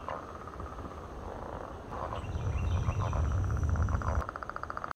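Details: Many swamp frogs croak together in a dense, low, rumbling chorus at Point Pelee National Park, Ontario, Canada.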